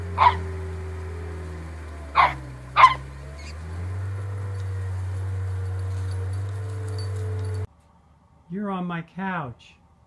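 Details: A corgi gives three separate sharp barks over a steady low electrical hum. After a pause come a few higher, drawn-out wavering vocal sounds.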